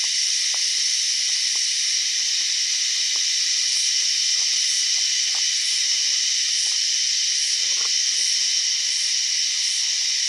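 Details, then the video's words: Cicada producing an odd sound, a continuous high sizzling drone overlaid from midway by a faint higher pulse repeating about every 0.6 seconds, plus scattered soft clicks. "A weird cicada sound"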